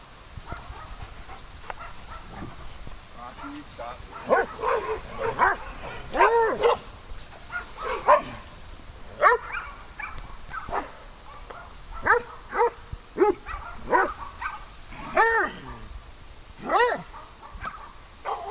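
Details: Playful dogs on a farm trade a long run of harmonic barks and higher yips, bursts every second or so, some close and loud, others softer, over a steady outdoor hiss.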